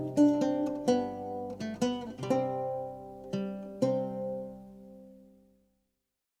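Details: Plucked acoustic guitar strums ringing out and fading to silence, with no animal sound.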